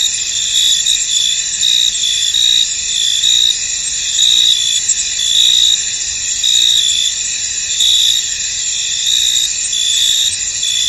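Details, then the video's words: Crickets chirp in a mist-shrouded field, a shrill steady chorus with repeated louder bursts arriving near once a second, some slightly uneven in timing. "Tranquil Cricket Sounds In An Misty Field"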